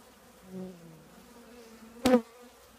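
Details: From a honey bee colony housed in an old trash can, a soft hum rises into a short buzzing pass, then a quick, loud close fly-by buzz about two seconds in.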